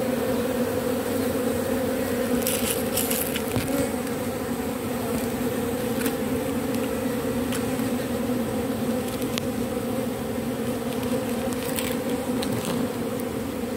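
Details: Continuous low buzzing from a robber bee taking propolis from matchsticks, a steady drone with rich overtones that barely varies in loudness, broken only by occasional light taps and clicks.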